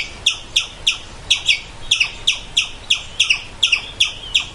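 A squirrel gives sharp, high chips repeated about three times a second.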